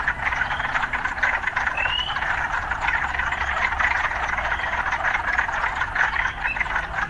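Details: Urban frogs in a dense, steady croaking chorus that forms a continuous churring wall of sound, with a few short rising chirps breaking through and a faint low rumble of city traffic underneath.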